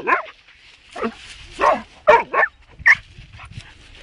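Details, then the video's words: A pet dog named Jerry barking, a run of about six sharp yelping barks spaced irregularly over four seconds, each a short falling burst, in a quiet indoor setting. "Jerry barking"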